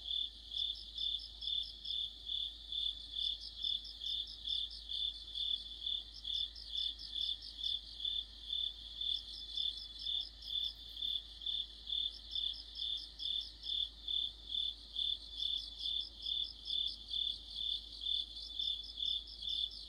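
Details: Mid-autumn insect chorus of crickets under a streetlight, shrill chirps pulsing evenly about twice per second while higher rapid trills swell in repeated bursts, otherwise quiet background.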